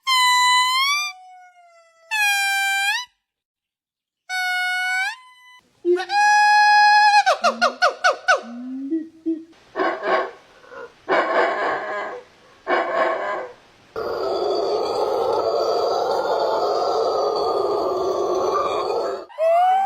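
Monkeys giving a string of varied calls: clear rising and falling whistles, then pulsed chatters and a long buzzy cry.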